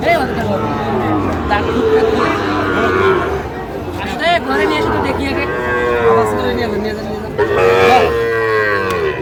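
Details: Repeated moos of Sahiwal cattle, bull calves on sale at a market visited by a Shariatpur farmer on 16 June 2025; overlapping lowing calls rise and fall amid a crowd's murmur.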